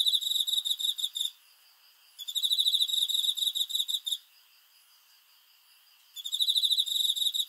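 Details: Cricket at night, repeating shrill bursts of quick, regular pulses: three trains of about one to two seconds each, separated by quiet pauses of around one to two seconds.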